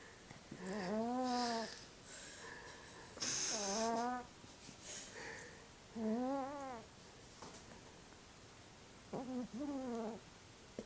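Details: A female Burmese cat snores loudly while sleeping soundly, each breath a drawn-out, wavering, nasal moan.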